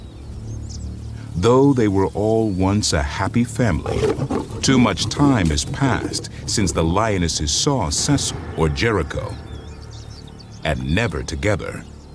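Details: Lion from Cecil's pride giving deep, drawn-out roars and growls in repeated harmonic bursts, heard under a man's narration with faint background music in an outdoor setting.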